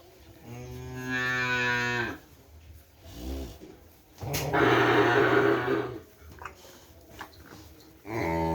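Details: Kerapan racing cattle from Sapudi Island, Indonesia, kept at a home: two drawn-out, level moos about three seconds apart, each lasting over a second, with a third moo starting at the end and faint background sounds between calls.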